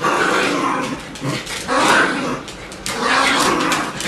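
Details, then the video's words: Bichon Frisé puppies of the O and P litters make drawn-out, rough growling whines in two long rising swells separated by a short lull, fairly close and loud. "Bichon Frisé hvalpe"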